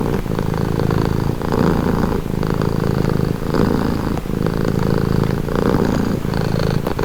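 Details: Domestic cat purring steadily, a low rumbling throb in long cycles of roughly one to two seconds, each swell followed by a brief softer dip as the cat alternates breathing in and out; no other sounds.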